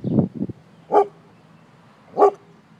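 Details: Pet dog barking after spotting a man: two loud, sharp single barks roughly a second apart, preceded by a couple of softer, low huffing sounds, against a quiet, steady background hum.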